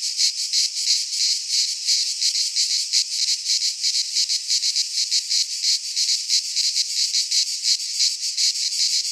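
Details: Cicadas sing in a dense, high, rasping chorus that pulses steadily without a break, recorded in midsummer in a pine forest in Greece.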